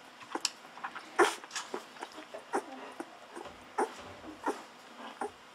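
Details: Hungry Golden Retriever babies, day fourteen, gulping milk from a bottle: rapid soft squeaks and smacking clicks, one sharper cry early, and brief low thumps of handling.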